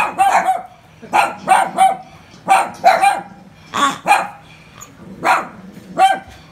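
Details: Toy poodles barking, apparently scared of a pig: sharp, mid-pitched barks in quick irregular bursts, often paired, about ten barks across several seconds.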